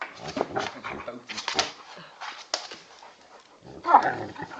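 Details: Play fight between an Old English Bulldog puppy weighing 10 kg and a 40 kg male Bullmastiff cross: rapid scuffling and snorting bursts, then a louder throaty growl near the end, with faint human voices.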